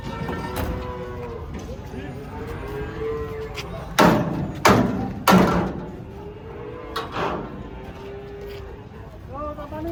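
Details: Giant cow unloading from a truck; several moderate moos, spaced and slightly rising, broken by sharp loud thuds and bangs in the middle, with people talking nearby.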